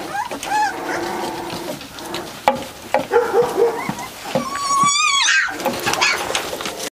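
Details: Three-week-old Catahoula Leopard Dog pups of Dixie and Beau's litter whimpering together, short squeaks and thin wavering whines, ending in a long high trilled cry that wobbles up and down, with some rustling and faint speech.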